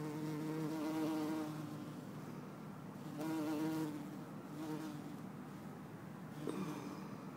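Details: Bumblebee, either Bombus hortorum or Bombus terrestris, in Lisbon on 4 December 2011: low droning buzz with a steady hum and stacked overtones, loud for about a second and a half, then fading and swelling again near the four-second mark.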